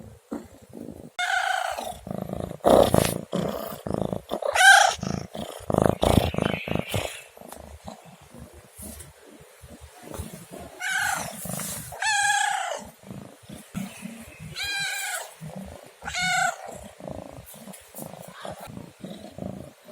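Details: Domestic cat meowing: loud, harsh bursts in the first seven seconds, then three separate drawn-out, arching meows spaced a few seconds apart, with soft household background noise between calls.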